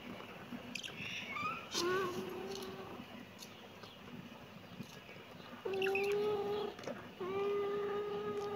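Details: Kitten meowing indoors: three drawn-out, tonal meows with rich harmonics, a short one near two seconds, then two longer steady ones after a pause, over faint room noise.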